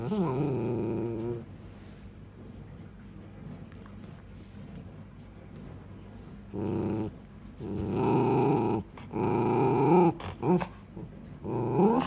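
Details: Miniature Schnauzer pet indoors, loves balls, vocally ordering someone to throw its ball: a wavering, harmonic grumbling whine at the start, then after a quiet stretch several short growly bursts in quick succession, closing with a rising whine.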